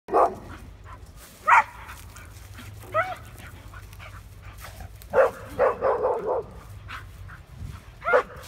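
A Bull Terrier gives short, sharp barks, with a quick burst of several in a row.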